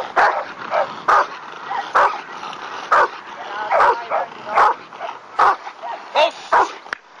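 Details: A Rottweiler in protection work against a "bad guy" barks in loud, harsh bursts at an uneven pace, about once a second.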